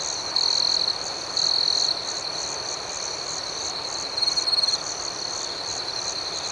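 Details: Crickets in a tranquil night ambience: a sustained high, ringing trill with three distinct louder chirping bursts, two early and one later, over steady background chirping.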